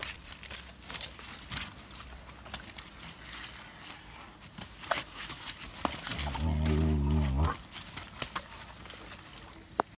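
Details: Two-month-old elephant calf climbing a slippery slope at Thai Elephant Home; a low, harmonic rumbling call lasting about a second comes late, over scuffling footsteps and rustling ground noise.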